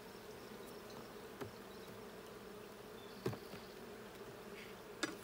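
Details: Honey bees at a hive during a hive check on 20 June 2022, a steady low buzzing hum of many bees with a few louder knocks and bees passing close.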